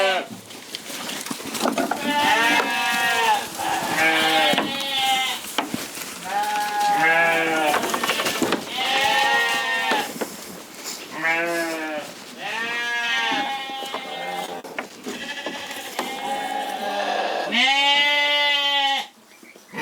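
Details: Chorus of Corriedale sheep on a Canadian farm, about a dozen separate bleats spaced a second or so apart, each a wavering, arching cry, some higher and some lower voiced.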